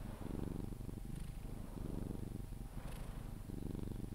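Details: Sphynx cat named Pepe purring while being cuddled, drifting toward sleep; a low, steady rumbling purr pulsing in long inhale-exhale cycles, with a brief pause between breaths.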